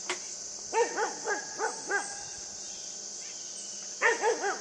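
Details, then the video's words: A pet puppy named Yufie barks while playing with a buck: two bursts of short, arched, harmonic yips, several in quick succession, with a steady high insect drone throughout. "Puppy plays with a Buck"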